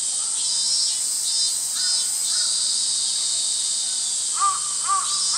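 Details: On 11 August 2012, cicadas keep up a loud, steady, high buzzing drone while young sparrows give scattered short chirps throughout, with two louder chirps near the end.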